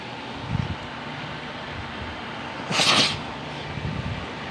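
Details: Old Labrador dog giving a single loud sneeze: one sharp, broadband burst of about half a second near the three-second mark, over steady background hum with a faint thump earlier.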